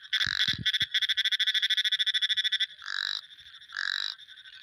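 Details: A frog in a sound-effects recording rattles off a rapid string of clicking pulses, then follows with two drawn-out buzzy croaks; a few low taps are heard at the beginning.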